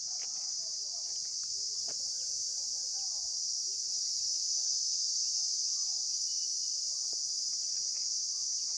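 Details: Outdoor insect chorus: an unbroken, piercing high hiss holding steady from start to finish, with a few faint whistles and clicks behind it.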